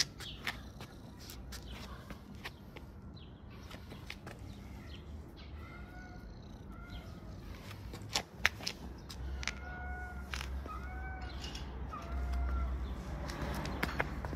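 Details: Hungry kitten meowing repeatedly: short, thin, level meows come in quick succession over a loud background of rumble, clatter and clicks.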